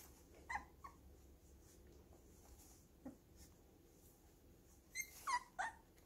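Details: Baby puppies at home, leaning on each other yet playing roughly; a few short high whimpers and yips near the start, then a quiet stretch with light scuffling, and a cluster of sharper squeaky yelps at the end.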